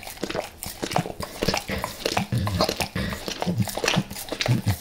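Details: Max the dog going crazy for natural peanut butter and its oil, before leaving El Paso: close wet licks and chewing smacks in quick bursts, with low thumps between them, recorded in a small indoor room.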